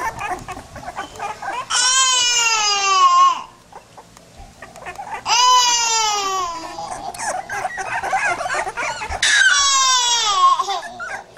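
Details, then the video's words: Pit bull puppies give three long, loud wailing cries, each lasting one to two seconds and sliding slowly down in pitch. Quieter yips and rustling fill the gaps between them. "cute pitbull puppies"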